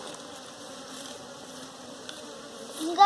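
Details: A quiet, even drone of honey bees while a hive is collected for domestication, with a soft hum held through the clip and a louder knock at the end.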